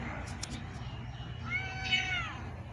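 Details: Pet cats eating rice at home; one faint drawn-out meow near the end, slightly falling, over low background hum and traces of a woman's voice earlier.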